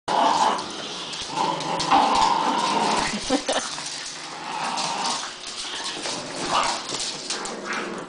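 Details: Several dogs playing tug of war together, with drawn-out growling and whining sounds in bursts over the first three seconds, then lighter yips and scuffling, and a person talking nearby.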